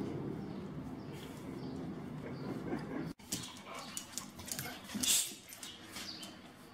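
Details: Two-year-old unneutered American Staffordshire Terrier in Milan, overexcited and dominant, gives a few short, sharp vocal bursts partway through after a stretch of steady low room rumble and hum.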